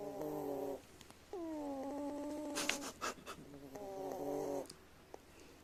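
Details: Sleeping rescued brown tabby cat gives longer, droning harmonic snores, one sliding downward into a rattling flutter, with brief soft clicks and rustles between breaths.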